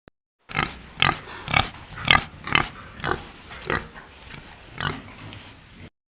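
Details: Domestic pig on a farm giving a fast series of short, rough grunts and oinks, roughly two per second, over a low steady background rumble.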